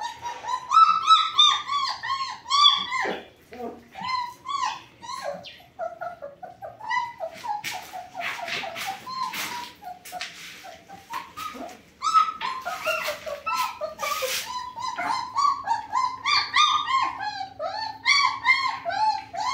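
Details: Several German Shepherd puppies, offspring of Sieger and Karolina, keep up a steady stream of shrill, quavering whines and yelps indoors, with some rustling and brief broadband scuffling noises partway through.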